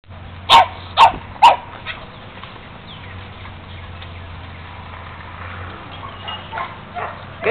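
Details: Solid black German Shepherd puppies: three sharp, punchy barks about half a second apart open the recording, followed by a quieter stretch with faint yips near the end and a person praising a dog.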